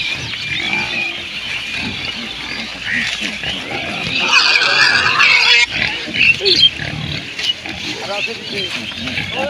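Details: Village pigs at a Bangladesh farm grunt softly, then one lets out a harsh, loud squeal lasting over a second, followed by scattered low grunts among voices and outdoor noise.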